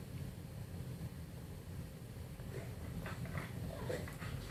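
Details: An English Bulldog indoors makes funny noises: a steady, deep snorting rumble throughout, with a few brief, higher snuffling bursts near the end.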